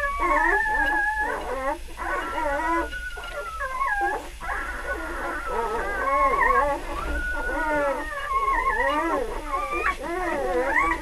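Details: Three-day-old puppies from one litter whining steadily, many thin, harmonic wails rising and falling over each other, some held notes sliding downward, with a faint low hum underneath.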